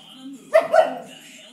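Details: Pet Alaskan Malamute vocalizing after being called by name; a single loud two-part yelp, slightly rising and then falling, lasting under half a second in a quiet room.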